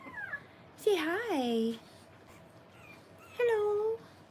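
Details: French Bulldog puppies, three weeks old and born 1/10/25, in a whelping litter: two clear, wavering cries, the first bending up and down for nearly a second, the second shorter and steady, over a quiet indoor background.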